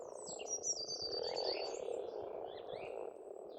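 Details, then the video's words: Massed croaking of frogs at a pond in Estonia in spring, a steady low murmur throughout, with a high fast bird trill at the start and scattered whistled bird notes later. "Расслабляющее пение птиц и лягушек, весна, природа."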